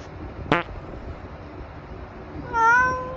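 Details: Treat-eating tabby cat: a sharp click or tap early on, then after a quiet pause a short meow that rises and settles into a flat tone.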